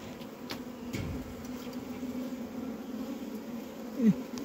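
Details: Bees humming at a diseased hive in Humla, Nepal, with dead bees inside: an even, continuous low drone throughout, a few soft taps, and a brief human voice near the end.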